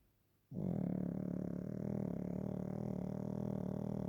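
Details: During an afternoon nap, Waffle the Pekingese lets out one steady, low, droning snore with a rattling texture that starts suddenly and continues for more than three seconds in a quiet room.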